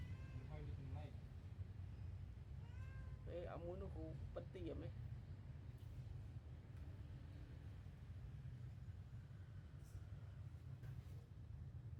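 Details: Newborn kittens sleeping together after milk feeding give thin, high mews with rich harmonics: a short burst early on, then a cluster of wavering, rising-falling cries near the fourth second, over a steady low hum, with quiet stretches after.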